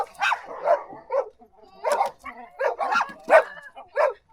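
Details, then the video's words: Dog barking in short separate bursts, several sharp barks spaced irregularly with brief pauses, mid-pitched and fairly clear with no other sounds prominent. "Som de CACHORRO latindo | AU AU (Dog Barking)"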